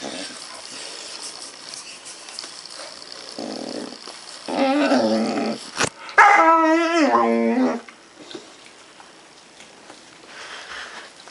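A young dog gives a string of strange vocal noises, starting with a low whine and moving into a wavering, yodel-like yowl. The pitch wobbles rapidly up and down before the sound breaks off into quiet.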